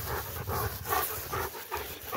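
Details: Two Rottweilers coming down a tower, with rapid rhythmic panting: breathy bursts repeating about every 0.4 seconds, steady throughout, over soft outdoor background noise.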